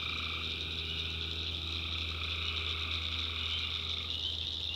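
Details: Swampy North Carolina backwoods at night, where tree frogs keep up a steady, dense high trilling chorus; one voice band shifts near the end, with a persistent low hum below.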